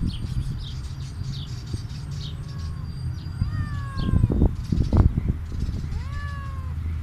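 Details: Hungry stray cat meowing for food outside; several rising-then-falling meows in the second half, amid steady low-pitched background noise and thumping sounds.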